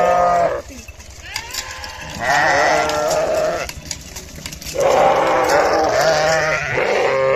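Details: Sheep bleating in long, tremulous, nasal cries, two main calls with quieter overlapping bleats and some background noise between them.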